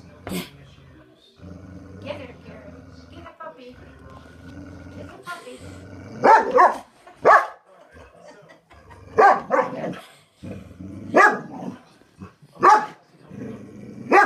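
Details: A Boxer gives loud, sharp single barks at uneven intervals at a ceramic French Bulldog figurine on first meeting it, with people talking quietly in the background.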